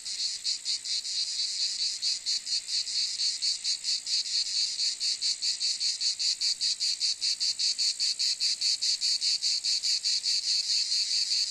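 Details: Cicada call: a harsh, high buzz pulsing steadily about two and a half times a second, the beats growing sharper and more regular toward the end.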